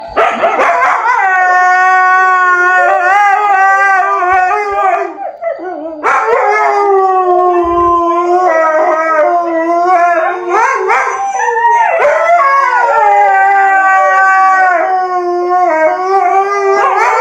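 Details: Siberian Husky howling in long, loud, wavering notes that rise and fall in pitch, broken into three drawn-out phrases of roughly five to six seconds each, with brief yips and breaks between; no other sounds.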